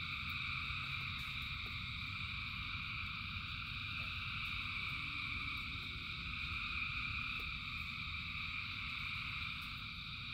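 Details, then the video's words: Thousands of frogs singing through the rain, their overlapping calls merging into a constant high droning trill, with a low rumble of rain, brief clicks of drops and a faint lower sliding tone midway. "Frogs in Rain 2 Hours of Frogs, Thousands of Frogs Singing"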